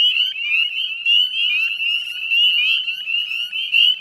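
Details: Shrill, overlapping rising peeps from a large group of northern spring peepers, heard at dusk on a May 2020 evening by the salt marsh wetlands of West Chezzetcook, Nova Scotia.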